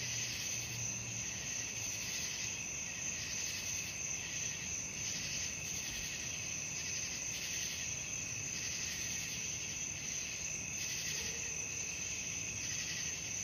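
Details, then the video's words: Night crickets in full chorus: constant high-pitched ringing trills swelling in regular pulses about every second and a half, with a soft low rumble in the background. "suara jangkrik malam"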